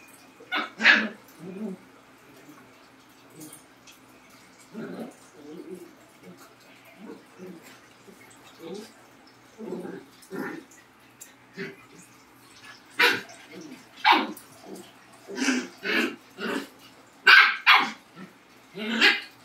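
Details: Labrador and Husky dogs: a couple of sharp barks open, then low, soft grumbling sounds, building to a run of loud, repeated barks over the last several seconds.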